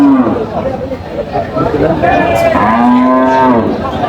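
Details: Cows and calves at the Aftabganj haat cattle market in Dinajpur, 5 July. A short low moo opens, then one long, drawn-out, richly harmonic moo of about a second, over people bargaining and market chatter.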